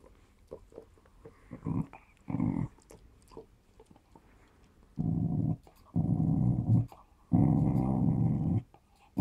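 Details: Smooth Fox Terrier named Run growling while playing with a ball indoors; several low, rough growls of about one to one and a half seconds each, the longest bursts in the second half, with brief pauses between.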